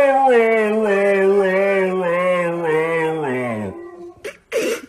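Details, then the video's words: Siberian Husky talking: a long, wavering, tonal howl-like moan held for nearly four seconds, slowly sliding lower before breaking off, followed by a short noisy burst. "Hilarious Talking Huskies Compilation | husky talking"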